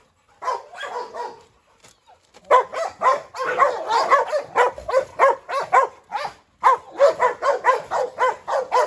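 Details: Dogs in a yard, a brindle Presa Canario female, a Rottweiler called Pirate and a Staffordshire terrier, with Pirate chasing the brindle round and round; after a short opening burst, rapid, rough barks repeat about twice a second.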